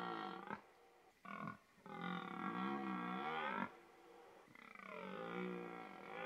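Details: Bugling red deer in rutting season giving a series of deep, rasping roars. Short opening bursts lead into a long, wavering, harmonic bellow, then after a pause another sustained roar follows.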